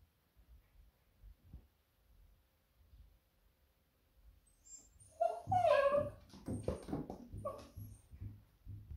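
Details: Smudge, a female Beagle greeting her returning owner happily indoors, breaks into excited wavering whines and yelps after a quiet start, with thumps and movement noises.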